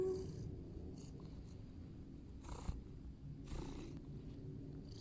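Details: A cat purring close up, a steady low rumbling drone that continues throughout, broken by a few short rustling bursts of movement.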